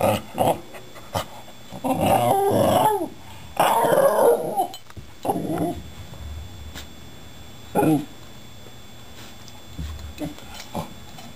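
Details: Patrick the Shiba Inu "talking" at the household's two cats, rescued two months before: a run of rough, grumbling growl-moans in drawn-out bursts, then several short sharp yips trailing off, indoors with faint background clatter.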